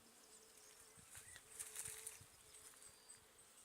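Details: Wild honey bee swarm on a tree, filmed in 2020 while foundation frames are added and no honey stores are found; a steady low hum comes and goes in bursts, with scattered rustles and clicks.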